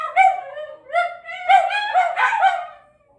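Italian greyhounds howl together in high, wavering tones that swell and dip about twice a second.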